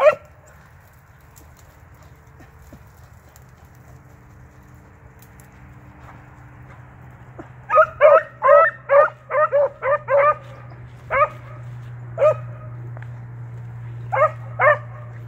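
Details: Beagles bred as rabbit dogs tracking cottontails and swamp rabbits, including an eight-month-old pup and a trained male: after quiet low hum, a burst of rapid yelping barks, then scattered single barks.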